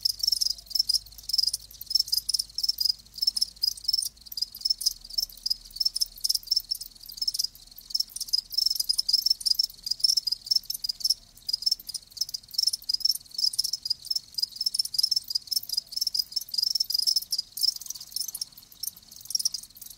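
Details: Many live crickets calling at once, steady rapid high-pitched chirps running without pause for the whole stretch, a dense shimmering insect chorus.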